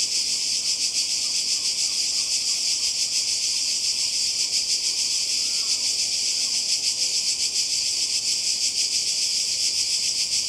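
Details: Croatian coast, summer 2020: massed cicadas produce a continuous piercing buzz with gentle rhythmic throbbing, while a bird gives a couple of soft, brief chirping notes beneath it.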